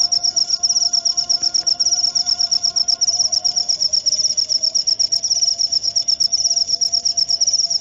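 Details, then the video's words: Cricket chirping in a rapid, steady train of high, shrill pulses, about two to three per second, with a faint low hum running underneath. "Suara Jangkrik"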